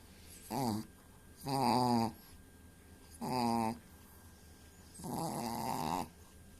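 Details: Dog snoring just before sleep, its voice like an old man's snore: four moaning, wavering harmonic snores, short then longer, at irregular intervals, recorded indoors.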